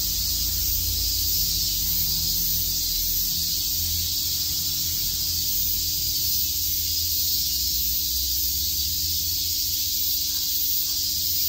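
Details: A chorus of cicadas fills a summer day at Shakujii Park in Tokyo with a constant high, hissing buzz that barely changes in loudness, over a faint low-pitched background rumble.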